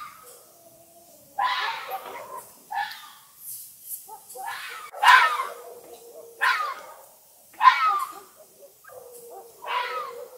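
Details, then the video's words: Fox heard at night, howling and barking: a run of about six raspy, shrieking cries spaced one to two seconds apart, linked by thin, drawn-out whines. "Fox Calling - sound effect - howling and screaming"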